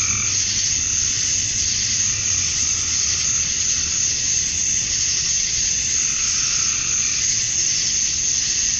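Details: Georgia, USA, summer dusk: massed male cicadas buzz to attract mates, producing a steady high-pitched hissing wall of sound with faint, uneven lower pulses beneath it.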